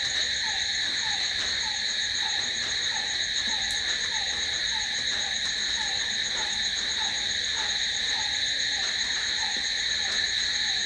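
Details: A continuous high, ringing cricket trill fills the night, never pausing, accompanied by a regular lower chirping note repeating every half second or so.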